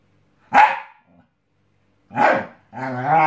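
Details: Scottish Terrier at home testing a new mattress gives two sharp, loud barks about a second and a half apart, then a drawn-out harmonic whine-growl at the end; quiet room otherwise.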